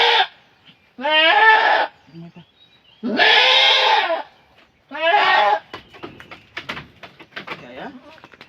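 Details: Goat in labour on a farm, delivering a female kid later named Denden; four drawn-out, harsh bleats come in quick succession, followed by soft clicks and handling noises, with people talking nearby.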